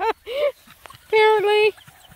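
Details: Black and Tan Coonhound puppies out on a pond hike, one of nine pups: a short yelp, then a long steady tonal howl held about half a second, rich in harmonics, with quiet rustling between.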